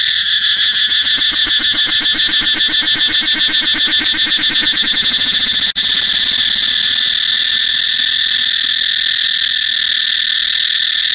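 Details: Cicada song that begins as a rapidly pulsing, throbbing buzz. It is cut off for an instant near the middle, then resumes as a smoother, continuous shrill whine.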